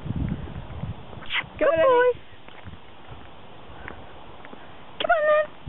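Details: Eddie, a pet Jack Russell Terrier excited on a walk, gives two separate high, quavering whines about three seconds apart, the first longer and sliding downward; a person's voice is heard briefly at the start.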